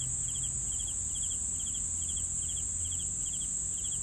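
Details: Regular cricket chirps meant for sleeping, each a rapid burst of three pulses, repeated roughly every 0.4 seconds, beneath which runs a constant high insect trill and low ambient hum.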